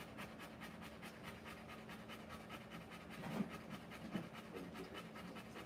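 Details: Rottweiler giving birth to puppies, breathing in quick, even, soft pants repeated without break, with a couple of faint knocks or shuffles partway through.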